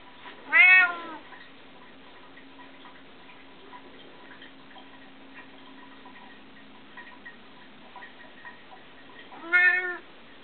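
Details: Bengal cats, pets kept at home: two clear harmonic meows, one near the start and one near the end, separated by about eight seconds of quiet with a faint steady hum.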